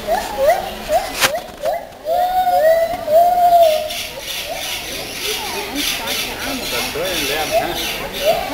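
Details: White-handed gibbons singing in a zoo in Vienna, Austria, in June 2011: a series of short, hooting notes that rise and bend, then a long steady whistled tone, followed by quicker rising hoots, with visitors' chatter behind.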